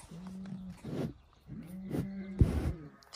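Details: Lion in Crimea, one of the animals around lioness Simona and lions Sultan and Girey; two drawn-out, low, steady tonal moans with rich harmonics, separated by short pauses, with a man talking over them.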